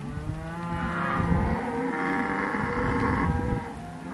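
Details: Cattle recorded in October 2023, one cow giving a continuous, throaty moo of about four seconds with a steady low pitch, strong harmonics and a rough, buzzing edge, fading at the end.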